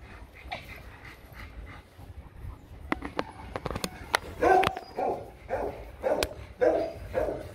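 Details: Rottweilers Loki and Siro during a mating session, the pair falling over several times before finishing; a dog gives a run of short, whining yelps in quick succession, mostly in the second half, with sharp clicks and knocks beforehand.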